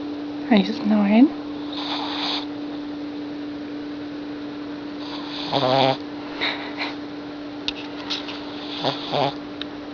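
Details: A sleeping 6-month-old female Boston Terrier puppy gives short, wavering, nasal snores every few seconds over a steady hum.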